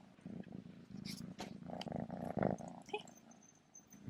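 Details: Remi, a male kitten getting used to his first collar with a bow and a bell, purrs indoors in a steady low rumble throughout, with a woman's voice and soft handling noises over it.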